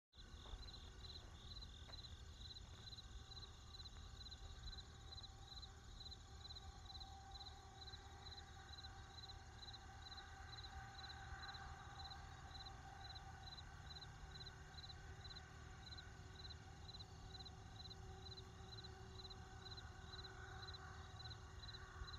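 Crickets chirp in a steady, rapid high-pitched pulse over a low rumble of distant traffic.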